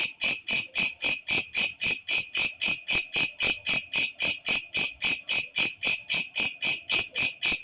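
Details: Night-calling katydid giving a piercing high buzzy pulse, each burst evenly spaced at close to four per second, continuing without pause over a quiet background.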